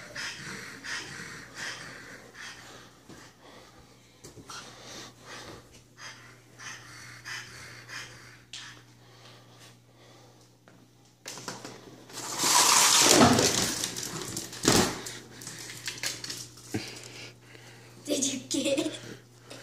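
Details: A French Bulldog named Scout breathes with rapid, wheezy snorts, roughly three per second. A louder rush of snorting and snuffling bursts out midway, then softer snuffles follow near the end.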